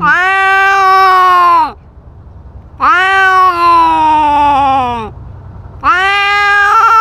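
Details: Cat with a GoPro fighting over territory and asserting dominance: three drawn-out yowls, the middle one slowly sliding downward over two seconds, with quiet rumbling gaps between the calls.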